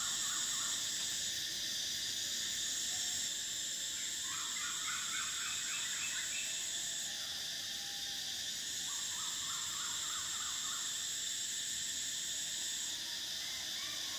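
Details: Cicadas buzzing loudly in summer, a continuous high whine that switches off and on in its top layer, while bursts of quick twittering chirps from another animal rise in the middle and again later.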